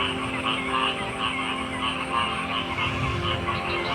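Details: A thick frog chorus of overlapping croaks and buzzy trills, pulsing unevenly over a constant higher whine and some low rumbling.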